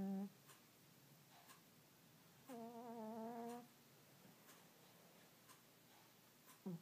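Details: Earl the cat snores while asleep indoors, one clear wavering whistled snore lasting about a second in the middle, with short clipped snore sounds at the very start and end.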